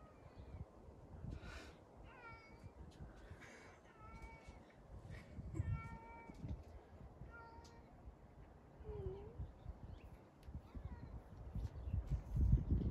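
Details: Cat by a kennel fence, giving a series of short, clipped harmonic meows about every second or two, one lower wavering mew near the middle, over steady low rumbling noise and rustling.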